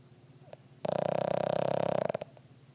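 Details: A worn-out, deeply sleeping Boston Terrier snores with a rattling, fluttering drone lasting just over a second.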